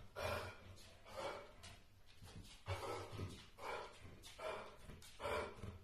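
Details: Polish Airedale Terrier, aged one year four months, barks repeatedly, about six hoarse barks spaced roughly a second apart, heard more distantly in a small room.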